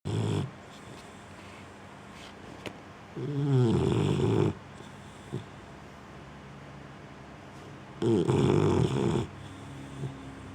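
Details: A Boxer dog, female, asleep on a couch, snoring: two long, rasping, low snores, each lasting over a second, separated by quiet breathing in an indoor room.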